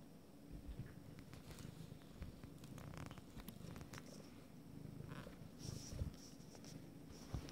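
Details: Abyssinian kittens nine days old from a first litter, their eyes just opening; a steady low rumbling purr runs throughout, with soft rustling and brief scratchy handling noises above it.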